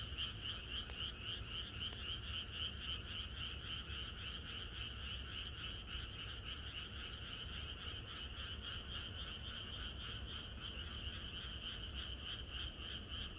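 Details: Rural night chorus of frogs ahead of expected rain, countless voices overlapping into an unbroken, rhythmically throbbing trill, pulses racing several per second, a lower rasping band under the bright upper tone, faint low background hum throughout.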